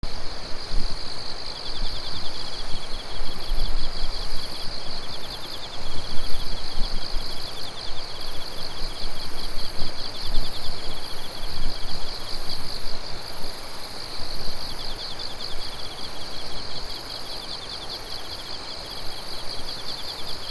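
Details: Chorus of insects on an autumn night under moonlight on 16 September 2021 in Japan: dense pulsed trilling high up, several overlapping callers with steady rhythmic ticking, over a low rumbling background of environmental noise.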